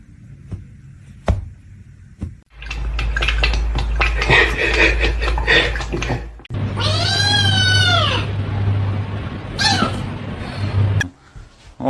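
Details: Pet cat in a small room: after a stretch of rustling and background noise, one clear meow that rises then falls, followed by a shorter faint call.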